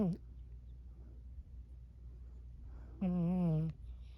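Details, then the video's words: Burmese cat Emma Rose making cute little noises in her sleep: a brief sound cut off at the start, quiet breathing, then one level, slightly falling moan lasting under a second over low indoor hum. "Emma Rose the Burmese cat making sleep noises"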